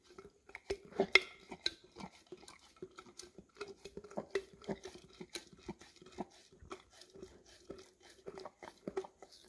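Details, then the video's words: English cream Golden Retriever working peanut butter from a nearly empty jar, recorded on a Samsung Galaxy S10e; sharp wet smacks and tongue flicks, a few louder clatters against the jar, quiet room between licks. "Dog Licking Peanut Butter Out of Almost Empty Jar - Golden Retriever"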